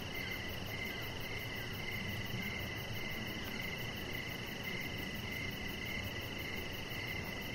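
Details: Evening crickets heard from an outdoor deck, rapid regular chirps in an even pulsing rhythm, layered on a continuous high-pitched drone and soft low rumble.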